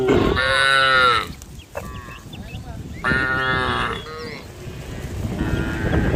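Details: Tame female cows on the road calling the herd, three moos about a second long spaced roughly two seconds apart, over steady background noise and a faint high hum.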